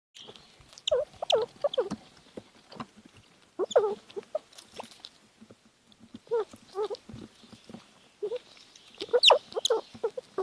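A young squirrel chews noisily, making quick crunchy clicks and smacks mixed with faint squeaky notes.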